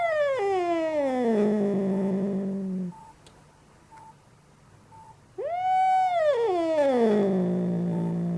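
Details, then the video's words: Furious domestic cat yelling: a long harmonic howl gliding down into a low growling moan, a quiet gap with soft periodic beeps, then an arched wail rising and falling before dropping into another drawn-out groan. "Angry Cat is Yelling and making Horrible Sounds!"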